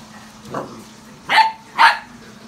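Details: Odin the German Shepherd, a pet dog visiting Samson's house, gives a soft low sound followed by two loud sharp barks about half a second apart; a steady low hum runs underneath.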